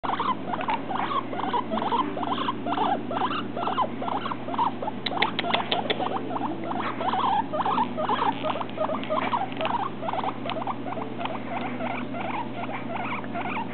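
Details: A baby male guinea pig, let out to walk on the floor for the first time, keeps up a rapid, steady stream of short squeaky chirps and chutters. He sometimes does this when petted; the owner is unsure whether it means he likes it.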